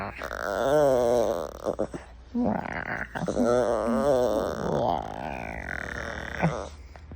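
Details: Puppy, a female, wanting attention, voices long warbling moans that rise and fall in pitch like a singing groan, two extended bouts separated by a brief gap.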